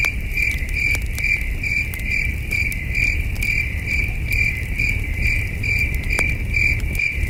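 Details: Crickets chirping in the cool night air beside a campfire in the wilderness; high, buzzy chirps follow one another at an even pace, with occasional sharp fire cracks and a low rumbling undertone.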